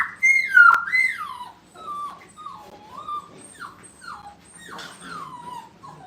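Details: Five-week-old dog puppies in a kennel, placed in a playpen for the first time, give high, thin whines that slide downward, a louder cry at the start, then softer falling whimpers every second or so, with no other clear sounds.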